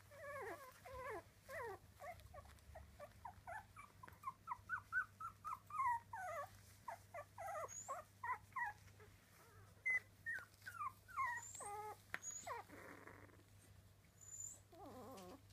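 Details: Three-week-old Miniature Dachshund puppies squeaking and whimpering in a steady stream of short, high, wavering cries, some rising and falling, overlapping one another, with a brief scratchy rustle near the end.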